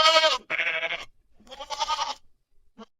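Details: Goat bleating in three loud, wavering, nasal bursts about half a second each, with a short quiet gap before the third. A faint click follows near the end.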